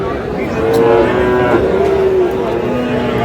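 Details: At Aftabganj cattle market in Dinajpur, Bangladesh, Sahiwal bull calves low on a Saturday; long steady moos with a slight dip midway, over background crowd noise and talk.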